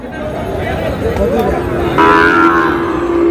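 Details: Sahiwal bull calves at a cattle market in Dhaka, Bangladesh, on 16 July, as a farmer buys: a low, sustained, slightly wavering moo rises after a brief pause and holds to the end, over crowd noise and men haggling over prices.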